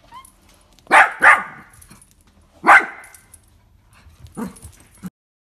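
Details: Playful Dachshund puppy giving a quick double bark, a pause, one more loud bark, then a softer low grumbling yap before silence.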